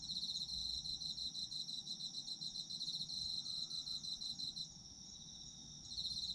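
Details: Autumn insects singing together: a steady, shrill high whine under a fast pulsing trill, about three pulses a second, that cuts out near the fifth second and returns just before the end, over a soft low rumble.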